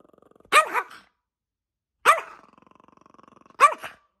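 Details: Chloe, a feisty Yorkshire Terrier puppy, barks angrily: three short, high yaps about one and a half seconds apart, with a thin, steady growl running between the second and third.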